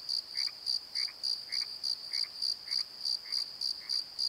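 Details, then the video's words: Crickets calling at night in a valley bottom by the Pozo Night Tree, recorded on a Nikon D7100: high, even chirps pulsing about three and a half times per second, with lower frog croaks roughly every half second beneath. "Crickets and Croaks! Pozo Night Tree"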